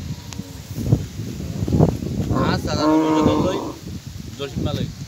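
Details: Fighting bull in Sylhet, Bangladesh, giving a drawn-out lowing moo about a second long, with rustling and short noises around it.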